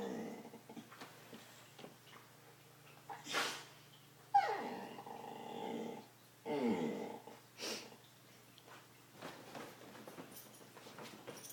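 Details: Wrigley, a dog making weird noises, gives one falling, tonal whine in the middle, surrounded by short huffs, breaths and soft indoor scuffling.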